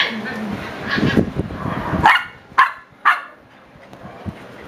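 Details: Seven-week-old Shiba Inu puppies give short, sharp yips over a murmur of background voices.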